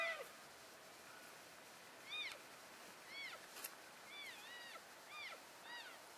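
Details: Herd of elk moving to new grazing ground on 3 February 2012, keeping contact through soft, rising-then-falling chirps that repeat about every second, thin and high, with a hissing background.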